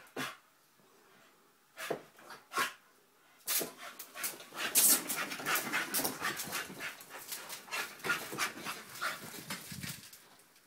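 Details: Nine-month-old Staffie puppy Honey playing with sellotape: a few isolated huffs, then a long run of rapid, rough panting and snorting breaths over rustling, crinkling tape noise.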